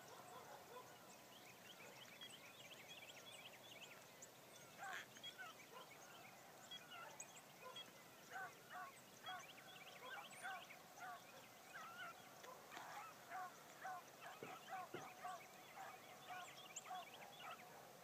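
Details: Bee, a newly acquired Blackcreek hound gyp, runs for the first time on a morning hunt. Distant, repeated barks and bawls come in uneven bursts, growing more frequent toward the end, over a steady hiss of background noise.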